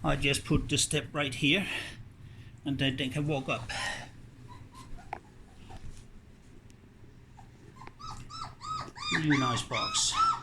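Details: Puppies exploring a whelping box after its blankets were changed; after speech early on, a run of short high whimpers with arching, slightly wavering pitch follows in quick succession near the end, with some rustling.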